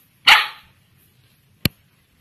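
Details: Polly, a nine-week-old female Samoyed puppy from Bandung, Indonesia, gives one sharp bark during basic obedience training on the command "speak", followed by a brief click in a quiet room.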